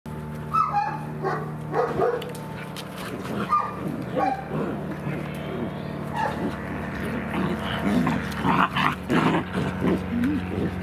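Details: Three-month-old German Shepherd puppies, born 18 June 2016, in Odesa, Ukraine. Several short, high yelping barks come in irregular bursts over steady background music, with some people talking quietly.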